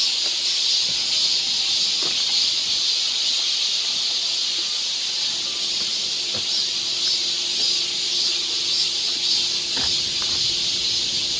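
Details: Cicadas singing along a summer forest trail in Seoul, Korea: a dense, steady, high-pitched shrill drone that never pauses, with a few faint clicks and taps underneath.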